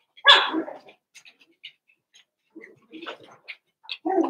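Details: Cavalier King Charles Spaniel puppies, Daisy's six merged with Robin's two into one group of eight, playing together indoors: a sharp, loud puppy bark opens, soft scattered squeaks and yips follow, then a second short bark closes.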